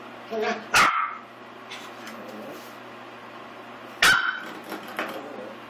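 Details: An eight-week-old puppy named Willie, a Pomeranian/Miniature Australian Shepherd cross, fights a door stop. Short yaps come between two loud metallic twangs from the stop, with a person's voice cheering him on in a small room.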